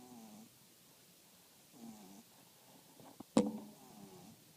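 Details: French Bulldog snoring, two soft nasal wheezes about two seconds apart, followed by a sharp click and a brief rustle near the end.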